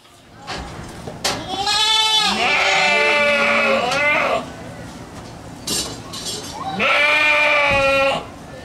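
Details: Boer goat buck, a father goat on a farm that makes many different sounds: two long, loud, wavering bleats, each about one and a half seconds, separated by short noises, with a person talking nearby.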